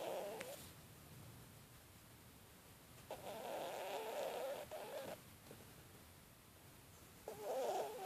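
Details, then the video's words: Domestic cat snoring: rasping, mid-pitched bursts of breathy noise, each lasting up to two seconds, returning roughly every three to four seconds with quiet gaps between, in an otherwise still room. "Кошка храпит"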